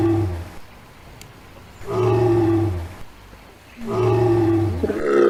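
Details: Adult female lion of the African savanna roaring, a call made to signal presence, keep contact with the pride and defend territory; two deep, drawn-out moaning roars about a second each, separated by a quiet gap.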